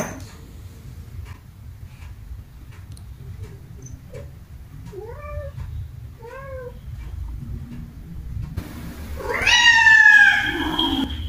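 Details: Domestic cats meowing in anger at another cat: a few soft, short rising-falling meows around the middle, then one loud, drawn-out harmonic wail near the end, over low background rumble.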